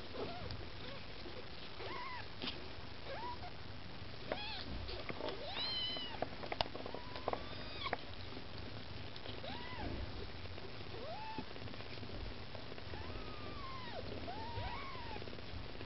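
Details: Kittens of the Maine Coon breed beside their mother cat Lakshmi, begging for food: a busy run of short, arched mews overlapping one another, some soft and some sharper, over a steady low rumble.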